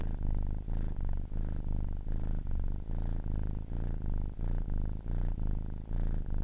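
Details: Continuous low rumbling purr from a 10-week-old kitten, pulsing in even breath cycles about every 0.7 seconds, each cycle separated by a brief dip; quiet background otherwise.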